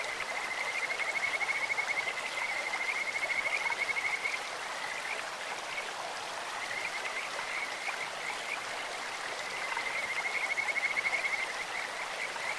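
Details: Kajika frogs calling in a clear stream, sweet bird-like trills: long high whistled trains of rapid pulses, repeated with pauses, over a steady rush of flowing water.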